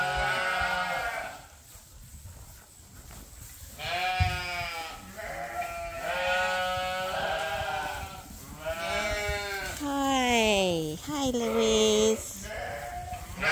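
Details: Sheep, ewes still waiting to be shorn, on Ewetopia Farms, a large registered Suffolk and Poll Dorset farm: several overlapping wavering bleats, some deep and drawn-out, others higher and falling, coming in bursts with short pauses, a person speaking softly in between.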